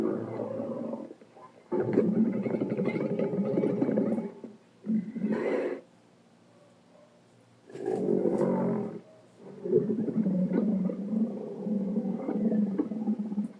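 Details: Dromedary camel recorded in the Sahara in 2017 producing long, rough, gurgling roars in bursts of several seconds, broken by short pauses and a brief higher call.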